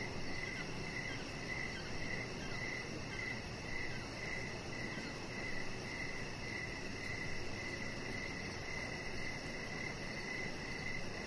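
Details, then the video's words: Chirping crickets on an evening outdoors by a deck with a chihuahua puppy lying there: bright pulsed trills in clustered bursts every couple of seconds, a high continuous buzz and low hum beneath. "Cricket Sounds"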